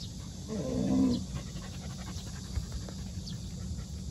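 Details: New Jindo puppy Songi housed with white-eyed Jindo dogs for the first time; a single low, drawn-out whine rises and fades within the first second, then only faint background hum and light rustling.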